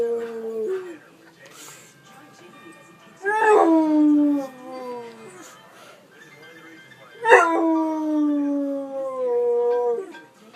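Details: Two rising-then-falling howls from the dog Sarge, reacting to iPhone ringtones, each starting with a sharp upward swoop and trailing off into a long, slowly dropping wail; faint ringtone and background sounds between them.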